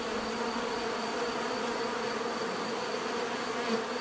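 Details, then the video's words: Continuous buzzing of many bees, a dense even hum with no breaks, holding steady at one level for the whole few seconds. "bees therapy relaxing natural buzzing sound"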